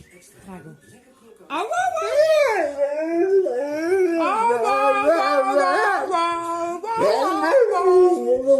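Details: A dog making a funny, weird noise: a wavering, howl-like vocal that swoops up and down in pitch, sustained for several seconds after a few soft, quiet sounds.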